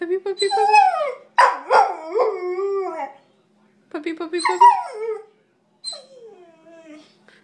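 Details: Chatty pet dog making broken, yodelling howls and yips in rapid pitch-bending bursts, a rhythmic choppy stretch, then a softer descending whine to finish.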